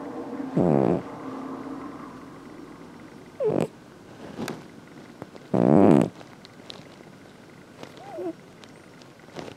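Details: Snoring house cat: three buzzy, low snores spaced a few seconds apart, the last one longest and loudest, with faint clicks and a brief squeak in the quiet background.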